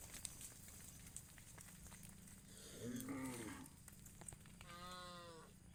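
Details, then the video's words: A herd of tame cows walking along the road to green rice fields in the morning; one low, drawn-out moo mid-way, then a shorter, higher harmonic call near the end over a faint, steady rural background hiss. "the sound of cows"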